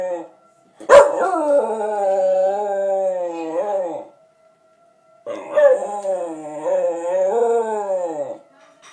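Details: Cody, a pet dog, howling at a tornado siren: two long, wavering, tuneful howls of about three seconds each, separated by a short pause, with a faint steady siren tone running underneath.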